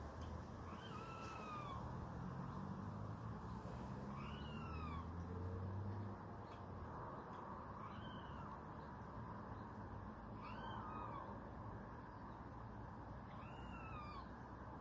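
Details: Red squirrel calling to show a rival that further scuffling is not worth it, a meowing cry. Five drawn-out, arched, nasal calls, each falling at the end, come roughly every three seconds over a steady low rumble.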